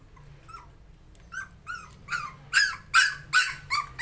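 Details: A fearful puppy starts with faint whimpers, then breaks into a steady series of sharp, high yips roughly every half second, each louder than the last.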